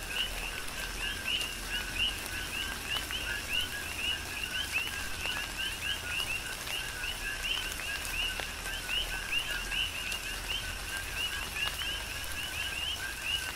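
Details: Chorus of coqui frogs in a tropical rain shower, Big Island, Hawaii; many callers trade quick 'co-qui' notes, each a brief low note snapping up to a higher whistle, densely overlapping above a gentle hiss of rainfall.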